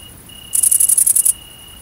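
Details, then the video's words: A great green bush-cricket (Tettigonia viridissima), recorded at night in countryside in central France on 22 August 2016 around mating, gives a loud, dry, high-pitched stridulating burst of rapid pulses. "GRANDE Sauterelle Verte/Accouplement ! BRUITX"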